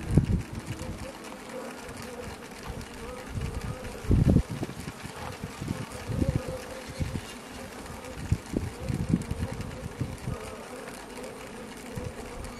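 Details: Honey bees inside a hive on Aug 24 2021, after a syrup feeder was fitted, make soft, irregular tapping knocks over a steady low hum of wings.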